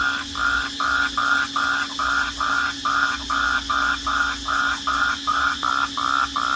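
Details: Crickets chirping at night in short, even bursts about twice a second over a steady background hum.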